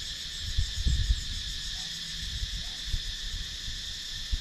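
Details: Cicadas in a wooded countryside area of Sakon Nakhon, Thailand, recorded with a GoPro Hero 9: a steady, dense shrill hum layered in several high bands runs throughout, over low thumps and rumbles of handling or wind.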